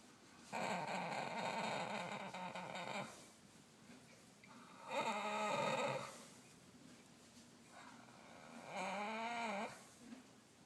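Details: A horse, a mare kept at a farm in Kyoto, snoring while asleep: three long rasping, harmonic-rich snores, each lasting about one to two and a half seconds with quiet gaps between them, the last one wavering in pitch.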